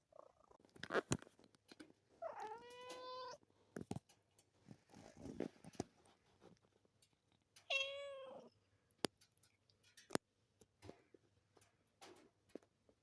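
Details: Mr Grieves, a little Munchkin cat, yawning indoors and giving two drawn-out, harmonic meows, one near two seconds and a shorter one near eight, with soft clicks, taps and rustling in between.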